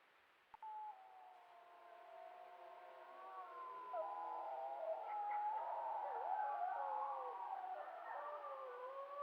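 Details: Wild wolves in the Yukon, recorded by a trail cam: after a brief click, several overlapping howls rise and waver in a mid-pitched chorus, growing louder and denser toward the end.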